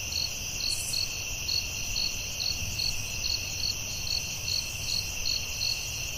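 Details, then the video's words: Crickets at night in the forest: high continuous trilling with crisp chirps repeating a little faster than twice a second, over a faint low murmur. "Soothing Cricket🦗 Sounds at Night"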